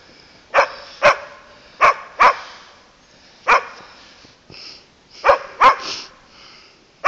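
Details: Playful barking from Landseer Newfoundland dogs Sadie and Thor at Cleveland Dog Boarding: sharp, loud single barks spaced about half a second to a second apart, a few quieter whining calls between them, a person's voice briefly nearby.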